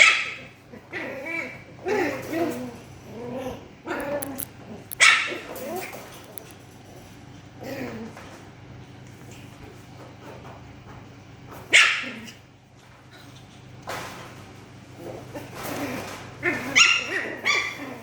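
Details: Poodle puppies at play, recorded 9 April 2026: high, sharp yips and short barks in scattered bursts, some in quick clusters, with people chatting in Indonesian in the background.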